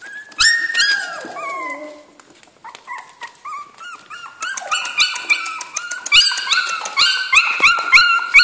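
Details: Several Jack Russell Terrier puppies in a kennel, high-pitched whines and squeals overlapping, with a falling cry early on and rapid repeated yelps building toward the end, indoors.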